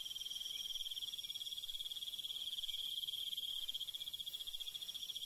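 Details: Crickets calling at night in the countryside, an unbroken high ringing trill of fast, even pulses layered over fainter buzzing insects, steady in loudness throughout.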